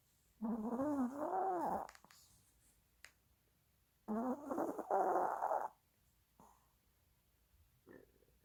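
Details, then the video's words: Dog napping and dreaming, making sleep-talk noises: two wavering, moaning bouts lasting one to two seconds each, separated by silence, then a faint short murmur near the end. "강아지 코골이 끝판왕!😴 | 꿈꾸고 잠꼬대도 한다!"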